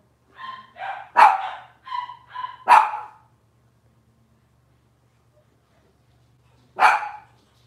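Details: Cavalier King Charles Spaniel puppy from Robin's litter, kitchen livestream: a quick string of thin, whining yips rising into two sharp barks, then about four seconds of silence before a single loud bark.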